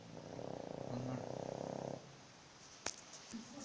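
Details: Snoring pug, said to sound like a Bullet motorbike: a two-second stretch of rapid vibrating pulses with low tonal hums inside, then a sharp click and faint murmurs.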